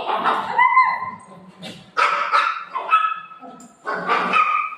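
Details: Golden Retriever named Milo fussing over taking a tablet, giving four loud, sharp barks and yelps in bursts roughly a second apart, with a drawn-out whining tone at the start.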